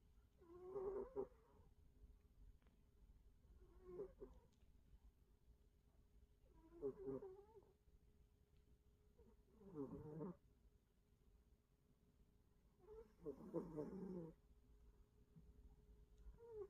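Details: Cat snoring, with rough, grating breaths every three seconds or so, some deeper and longer, separated by quiet gaps and backed by a constant low hum.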